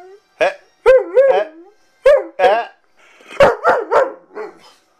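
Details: A male Weimaraner, grounded for escaping the yard and wanting to go out, gives a run of short, wavering howls and yowls, protesting in a talking-back manner.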